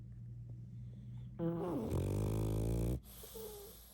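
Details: Snoring pug during sleep: a steady low hum breaks into a strong, droning, harmonic snore of about a second and a half that dips slightly in pitch, then fades back to soft breathing.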